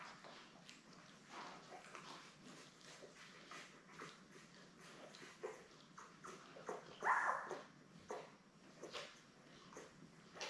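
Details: Labrador Retriever mother Belle with her seven newborn puppies, born May 24, 2021, on a live puppy cam on June 3. Soft puppy squeaks, then one clearer whining whimper midway, over constant rustling and movement.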